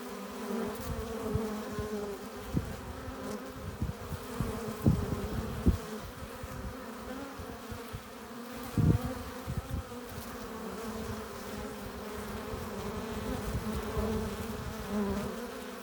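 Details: Honey bees streaming into their hive with pollen and nectar create a continuous deep buzzing hum, with strong low rumble, several sharp louder bursts as bees fly right past, and a steady drone of the colony behind.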